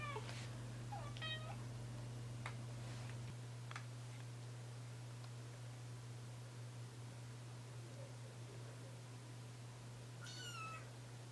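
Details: Tiny ginger house kitten, the youngest of his litter, about three weeks old indoors; short thin meows near the start, a stepped wavering one, then a final arched mew near the end, with low hum and faint handling noises.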